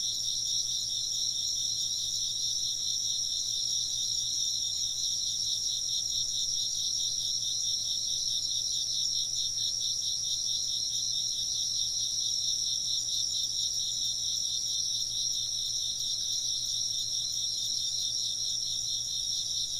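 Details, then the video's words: Insects chirp together in a continuous high-pitched chorus. One band pulses in a fast, regular rhythm while others ring as unbroken shrill trills throughout. A soft low hum persists beneath. "風鈴の音と虫の声 - wind chimes and chirping insects"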